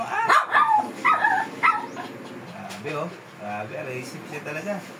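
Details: A fierce Shih Tzu barking while being groomed: four sharp, high barks in quick succession at the start, then a person talking over the rest.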